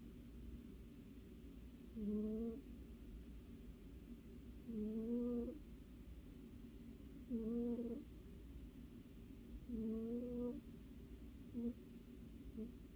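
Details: Domestic cat fast asleep, snoring in a quiet room: squeaky, wheezy tonal snores, each rising slightly and lasting about half a second, coming roughly every two and a half seconds, with a faint constant low hum behind.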